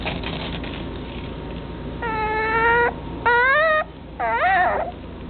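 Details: Chocolate dapple long-haired dachshund, a male puppy at a kennel, gives three clear tonal whines, each under a second; the first is level, the second starts high and falls, and the third wavers, over a low hiss.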